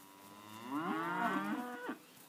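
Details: Poll Hereford heifers giving a single moo that swells and bends in pitch, with strong layered harmonics, then ends with a brief rising tail. Quiet background.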